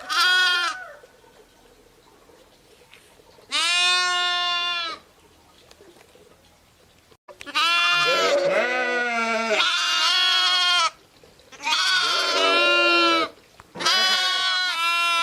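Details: Ewes and lambs bleating: a few separate loud, wavering bleats at first, then several sheep calling almost without pause, voices overlapping at different pitches.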